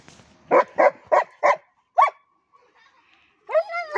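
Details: German Shepherd crossbreed dog giving four loud, fast barks in a row, then one more after a short pause, followed by a rising whine-like cry at the end; a brief murmur of voices in between.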